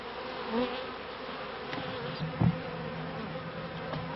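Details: Honey bees droning at first-year hives in a bee yard, 1994. A low, constant buzz with a steady underlying hum, brief louder wingbeat swells, and a short thump midway.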